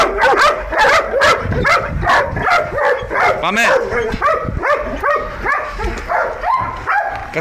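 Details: Belgian Malinois guard dogs in Nauplion, Greece, bark repeatedly in ringing, uneven bursts while a man talks and calls to them in Greek over the din.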